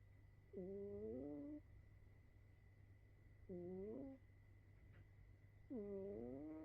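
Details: A sleeping cat gives a loud snore. Three tonal, slightly rising snores with rich harmonics each last about a second and come roughly every two to three seconds over a steady low hum.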